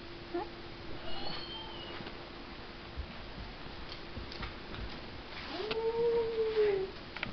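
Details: Puppy indoors among its toys lets out one drawn-out tonal howl lasting over a second, rising, holding level, then dropping away, near the end after a stretch of quiet room noise, faint clicks and a steady hum.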